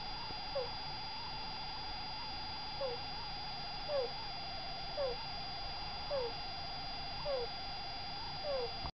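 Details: Sick degu, asleep, making a 'kuu kuu' noise with every breath that points to a bodily problem, not plain snoring. Faint, short, descending squeaks recur about every second against a steady electrical-sounding hum.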